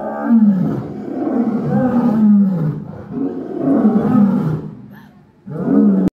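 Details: Lions at a zoo safari in Lahore give deep, rumbling roars in long, throaty bursts that swell and fade.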